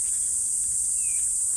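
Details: Cicadas at Odawara Castle in Japan give a steady, very high-pitched, shrill drone likened to ultrasound, holding without a break.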